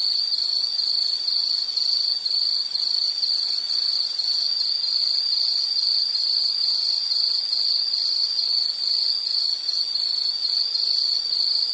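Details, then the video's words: Shrill, high insect chirps repeated steadily at roughly two per second, a rhythmic pulsing trill that continues evenly throughout over a quiet background. "Sound · Nature Sound of nature sounds scenery L · insect"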